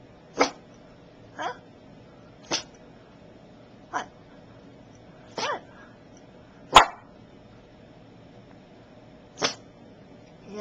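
A Boston Terrier gives short, huffy sneeze-barks, one every second or two, to warn off a perceived enemy.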